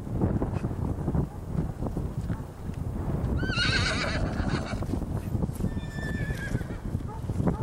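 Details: Rocky Mountain Horse on a farm during weanling filly training for bonding and trust: a wavering, high whinny of under a second midway, then a fainter brief neigh, over steady rumbling and scuffling noise.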